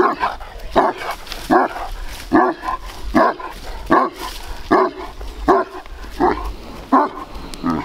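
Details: Powerful-tempered, large Bucovina Shepherd Dog barking in 2021, about ten deep, throaty barks delivered at a steady rhythm of roughly one every 0.8 seconds, with faint background hiss.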